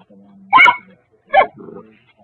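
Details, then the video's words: Atticus, a little dog holding a toy, barks to announce he is ready to play: two short, sharp barks under a second apart, then a softer low trailing sound in a quiet room. "Atticus barks"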